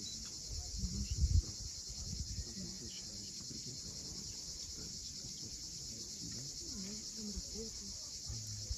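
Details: Sunset cicadas on the Crimean coast at Cape Fiolent give an unbroken high-pitched buzzing wash. Loud low thumps of surf or wind come early, then faint low warbling sounds run underneath.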